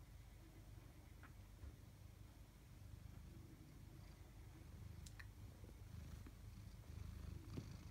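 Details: Two tabby cats, Chloe and Koda, indoors; a low, steady purr rumbles throughout in rhythmic breaths, with a few faint clicks and rustles near the end.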